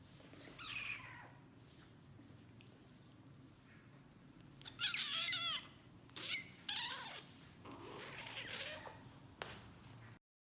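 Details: Kittens play-fighting give short, high squeaks and chirps in scattered bursts, with no crying or wailing meows. They are just playing, not hungry or in danger.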